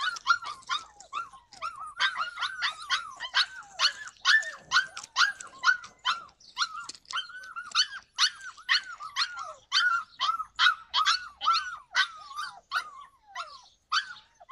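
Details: Yakutian Laika, July 2020, barking continuously in quick high yelps, each a short arched note, running at a brisk, fairly even pace of roughly two per second throughout.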